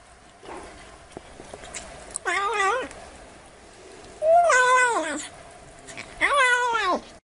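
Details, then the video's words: Black kitten calling with three loud, drawn-out meows about two seconds apart, each wavering slightly in pitch before falling away at the end. "Tiếng Mèo Kêu Meo Meo"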